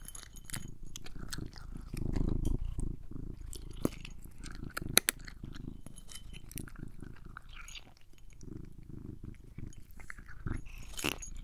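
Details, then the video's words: Domestic cat purring indoors while being groomed and eating treats: a steady low rumble runs throughout, broken by crisp crunching and clicking chewing sounds, with a louder swell of purring near the two-second mark. "ASMR with my CAT! Purring, Eating, and Grooming"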